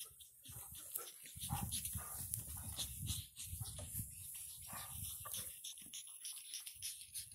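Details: Nine-week-old pug puppies, born 17 August 2019, playing in Cheyenne, Wyoming: a steady run of low, rough grunts and snuffles with short, thin whimpering notes above, plus light rustling and bumping throughout.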